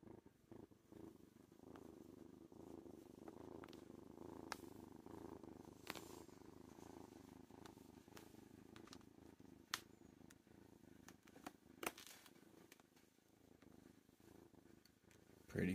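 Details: Foster kitten Worm purrs while lying in a lap, a continuous low rumble that swells and fades in gentle cycles, broken by scattered clicks and light rustling of movement.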